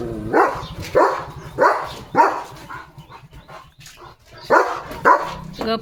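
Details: German Shepherd dog wearing new glasses, giving a few loud barks about every half second, pausing mid-clip, then barking again, with a person's low voice speaking underneath.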